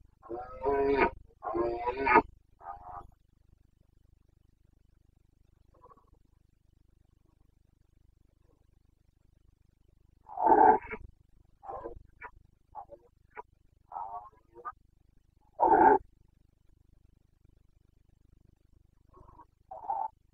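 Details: Rut of a Carpathian red deer stag in Bucovina's mountain forests, recorded 29 September 2022 in the breeding season: a series of gruff, throaty roars and grunting bursts, clustered at the start, then scattered calls after a long quiet pause.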